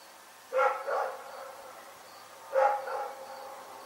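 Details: Night barking from Rex the dog, two separate barks, each a sharp bark followed by a softer second note, spaced about two seconds apart over low steady background noise.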